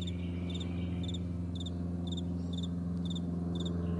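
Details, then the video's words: Morning meadow crickets give short, high pulsed chirps about twice a second, evenly spaced, while a steady low drone runs underneath throughout. "Morning Crickets"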